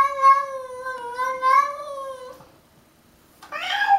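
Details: Pet cat fighting a stray cat: a long, wavering, drawn-out yowl lasting over two seconds, a stretch of near silence, then a harsher yowl starts again at the end.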